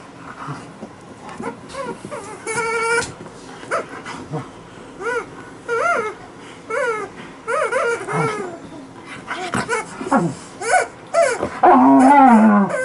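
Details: Playing on a bed with her chicken toy, Liza the female Alaskan Malamute gives a string of short whimpers and yips, roughly two per second, with one sustained squeaky tone early and a louder wavering whine at the end.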